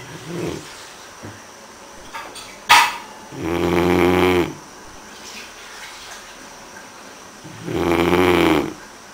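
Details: Elvis, a Great Dane, snoring: two long, rough, throaty snores with a buzzing, harmonic rasp, about four seconds apart, with a brief sharp knock between them and quiet breathing in the gaps.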